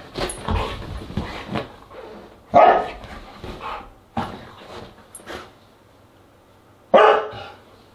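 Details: Siberian Husky at a dinner party on August 10, 2022, giving short harsh barks in separate bursts near the second-and-a-half, four-second and seven-second marks, with quieter broken barking early on and brief lulls between.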